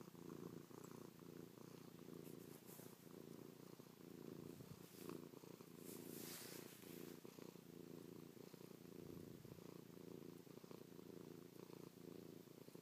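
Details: Chloe the cat purring loudly at close range while kissing, pawing and licking her owner's face; a low, rattling, continuous purr in breathing waves, with brief soft rustling bursts near the middle.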